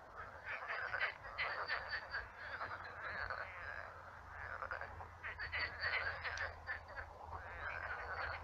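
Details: Numerous frogs croaking at night in a shallow marshy pond; dense chorus of buzzy, rattling croaks with louder bursts near the start and again midway, over a low steady hum.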